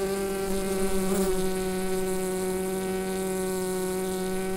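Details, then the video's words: Bees in the hive producing a constant low buzz, picked up by a Rode NT-USB microphone; a short swell in the hum just after one second, then a smooth, unchanging drone. "Bee Hive Sound"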